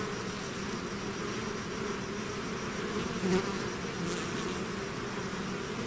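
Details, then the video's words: Swarm of bees pouring out of a hive, heard as a uniform low buzzing wall of sound, with one nearer bee briefly swelling louder midway. "bees therapy swarm natural buzzing sound"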